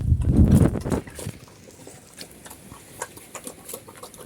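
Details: Black pigs known in Cambodia as Chrouk Kandorl, organically raised on a Cambodian farm in a natural setting: one deep, rough grunt in the opening second, then quiet rustling and faint scattered clicks.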